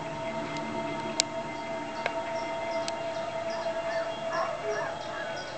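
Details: A mastiff gives a long, steady, drawn-out howl while watching a wolf documentary on TV, answering the wolf howls on screen, with the narrator's voice behind.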